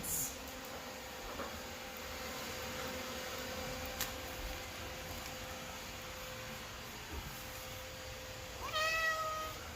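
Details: Pet cat indoors while its owner tries to get it to watch bird videos; a single short, bright meow rises near the end after a long stretch of steady low hum and room noise.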